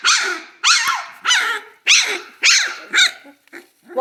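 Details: Central Asian Shepherd Dog puppies, possibly hungry, give high, yappy barks in a quick series, about one every half second, alongside growling.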